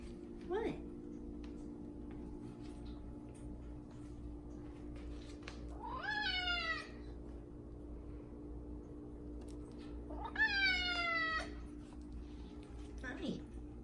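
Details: A big male F2 Savannah cat gives two loud, drawn-out meows that slide downward over a steady household hum, as he does at feeding time, demanding food.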